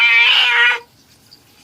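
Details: Cat being bathed gives one loud, drawn-out harmonic meow lasting under a second, then quiet.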